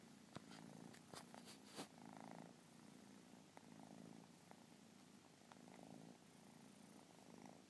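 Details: Persian kitten's quiet rumbling purr, swelling and fading in steady breath-length pulses, with a cluster of crisp clicks and knocks early on over soft room hiss.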